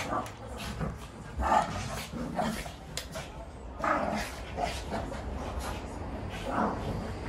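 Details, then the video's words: Shih Tzu barking during a fight: short harsh yapping barks and growly yelps in uneven bursts, with human voices talking over them indoors. "Shih tzu Barking and fighting REMATCH"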